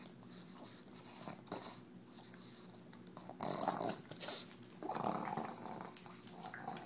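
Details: A female pug named Tumble eats EZ Cheeze out of her KONG toy, giving low rumbling growls broken by louder snorting, wheezy bursts and wet chewing noises.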